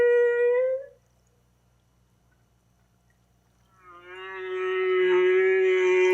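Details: Humpback whale song, from a baleen whale and likened to slowed-down bird song: a steady, tonal, harmonic note that swells slightly, then silence, then a longer, rich tonal moan with stacked overtones rising in loudness.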